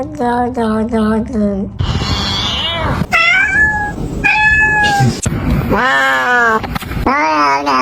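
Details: Kitten making odd, funny sounds: a string of quick, steady meows, then drawn-out, wavering cries and squeaks, with a human voice and room noise mixed in.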